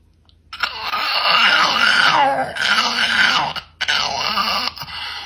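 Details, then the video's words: Dog asked whether he would like some peanut butter, answering with a long drawn-out groaning, wavering moan that rises and falls over several seconds, broken into three sustained phrases indoors. "Dog Makes Hilarious Noise When Asked about Peanut Butter"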